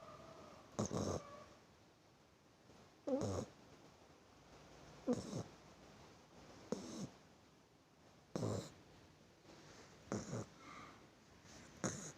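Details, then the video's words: Sleeping puppy snoring softly, short breathy snorts with a faint whine, recurring every two seconds or so over quiet room noise. "anak anjing ngorok"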